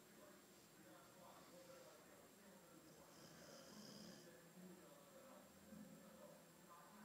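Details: Albino Boxer Theo asleep and snoring: quiet, even, throaty rattles repeating at a steady pace, with a short snort-like swell around the fourth second and a faint electrical whine in the background.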